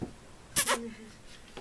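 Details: A black Labrador Retriever, playing the fool, gives a sharp short yelp and then a thin, steady whine that lasts about half a second and slowly fades. A man's voice is heard nearby.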